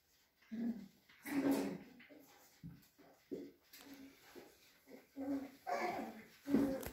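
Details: Cavalier King Charles Spaniels Chelsea and Cloe at a breeder's home in the Sierra de Madrid, Spain; a string of short, whiny yelps and whimpers repeats roughly every second, with a woman's voice greeting the dogs nearby.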